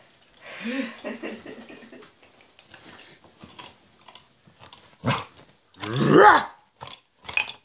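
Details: Playful female pet dog in an early morning play session, opening with low grumbling growl-like vocal sounds, then a few loud harsh bark bursts near the end over a constant high-pitched background tone.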